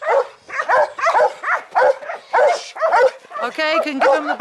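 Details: Belgian Malinois in bite training, giving rhythmic harsh barks about twice a second, then a higher whining note near the end, mixed with a person's voice.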